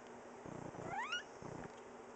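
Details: Oreo, nicknamed Cookie, a chatty two-year-old female cat that meows back when greeted, recorded September 2010: one short upward-sweeping chirped meow lasting about a quarter second, set against a low pulsing rumble before and after.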